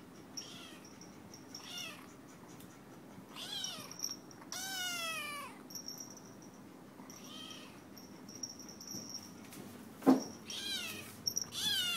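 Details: Happy pet cat with food in front of her mews repeatedly, short rising-falling meows mixed with one longer, louder cry, separated by pauses, plus a sharp knock near the end indoors.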